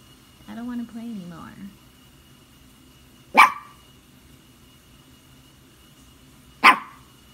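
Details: Pet Maltese dog barking because he wants to play fetch. A person's voice opens the recording, then two sharp single barks follow about three seconds apart in a quiet indoor room.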